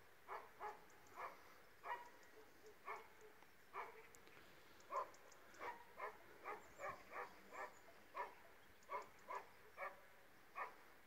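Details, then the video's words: Illyrian Shepherd and Presa Canario mix dogs barking continuously, short barks roughly every half second, some in quick pairs, over a hissy outdoor background. "illyrian shepherd vs presa canario mix"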